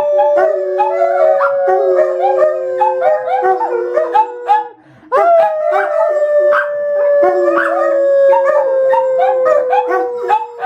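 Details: Several dogs howl together on October 18, 2012, long sustained tones sliding slowly downward and overlapping, with a brief pause near the middle before a fresh rising howl starts and the chorus continues.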